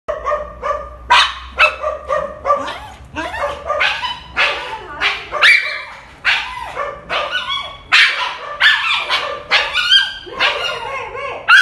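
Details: Upset dog whining after another dog was taken out for a walk first: a dense run of short, tonal, rising and falling whines and yelps, nearly continuous, some sharp and high.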